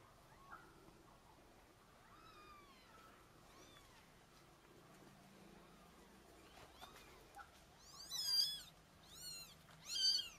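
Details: Domestic cats, a mother with her kittens: faint thin rising mews early on, then three high-pitched kitten squeaks near the end, each a quick wavering cry, over a soft room hiss.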